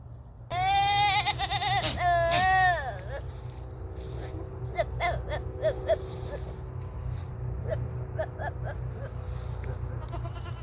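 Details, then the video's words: Goats during the rut: one loud, quavering bleat lasting over two seconds, wavering and bending in pitch, followed by short, softer grunting calls and clicks, over a steady low hum. "Strange sounds from goats during the rut!"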